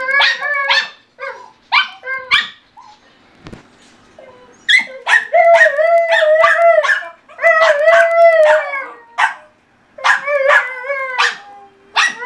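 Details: Two pet dogs, a German Shorthaired Pointer named Benelli and a Bichon named Rocky, vocalising while playing together: bursts of sharp harmonic barks mixed with longer wavering howl-like yowls, in rapid irregular runs with short pauses.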